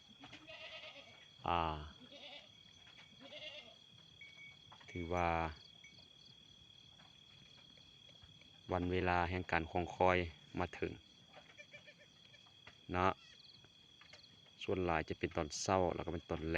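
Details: Newly born goat twins on a farm, one female and one probably male, born by the pen: brief quavering bleats come in separate bursts, with a man's speech in between and quiet pauses.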